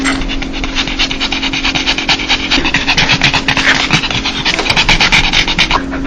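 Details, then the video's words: Dog's happy 'laugh', a sound made when joyful: rapid breathy huffs repeated about twice a second, with airy hiss between pulses and a faint steady hum underneath. "강아지웃음소리 강아지 행복할때나오는소리"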